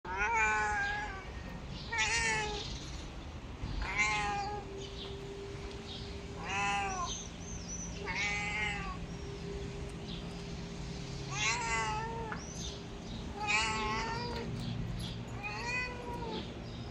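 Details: A talkative red male kitten, apparently a rescued street cat, meows repeatedly to ask for attention and affection: about eight bright, rising-falling meows, irregularly spaced over a low steady hum.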